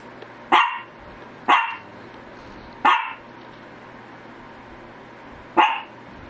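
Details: Shih Tzu barking in quick succession: three sharp barks about a second apart, a pause of nearly three seconds, then one more bark, over a soft steady hum.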